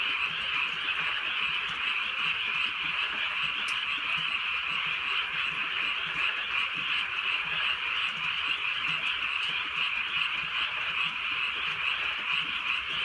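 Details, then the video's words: Nighttime rural frog chorus under gentle drizzle: countless overlapping croaks merge into a constant rattling, high-pitched drone, with a single sharp click and light rain noise. "개구리 소리"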